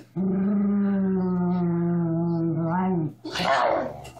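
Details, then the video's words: Miniature Schnauzer pet dog indoors producing a steady, drawn-out tonal growl for nearly three seconds, rich in harmonics, ending with a rising quiver and then a breathy noisy huff. "My Miniature Schnauzer Growling"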